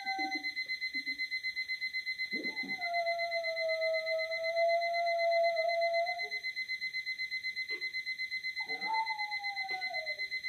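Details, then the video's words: Louie the Boxer gives a long, level, mournful howl, falls quiet, then a shorter howl that slides downward, all against a continuous fast beeping alarm clock. "Louie the Boxer howling!"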